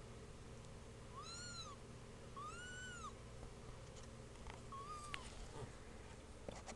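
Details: Two-week-old kittens calling with three high, arched mews, the first two clear and drawn out, the last shorter and fainter, over a steady low hum.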